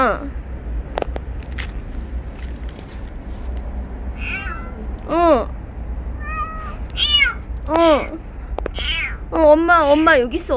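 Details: Stray kitten Ppeuti, called by a woman, answers with a string of arched meows that grow more frequent toward the end, mixed with soft human speech and clicks over a low background hum.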